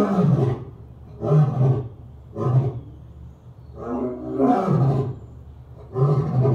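A lion roars in deep, rumbling bursts, each about half a second long, repeated every second or so.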